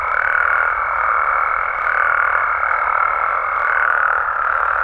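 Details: Mexican frogs and toads chorusing after dark, a dense humming mass of calls pulsing softly roughly every second and a half, with a thin high tone running through most of the clip.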